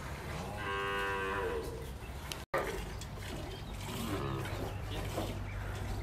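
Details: Dairy cow on a farm in the El Salvador countryside, a milking cow said to give 15 to 20 bottles: one drawn, harmonic moo lasting about a second, followed by farmyard background noise.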